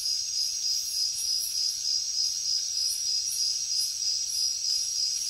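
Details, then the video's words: Insect chorus from crickets in the jungle at night: an even, ringing high trill beneath quick, repeated brighter chirps, steady and uninterrupted, with no other noises present. "Insects sounds | Cricket sounds |Jungle night"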